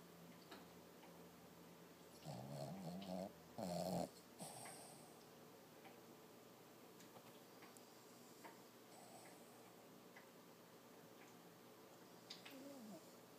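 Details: Toby, a six-month-old Lhasa Apso puppy, asleep and dreaming indoors, lets out two close bursts of low, wavering, voiced whimper-snores around the second to fourth seconds, then breathes quietly with faint small noises for the rest.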